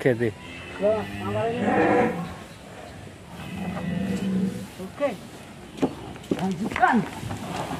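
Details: A loose, agitated cow from a delivery of three large cattle in Mlinting, Tempel, Sleman, almost getting away. A short, rough moo early on, then low rumbling and scattered human voices.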